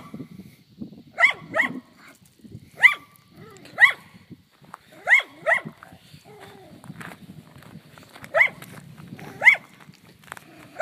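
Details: Barking aimed at cows: a dog lets out repeated short, bright barks, often in quick pairs, roughly a dozen over the stretch with brief pauses, and a low murmur of background noise throughout.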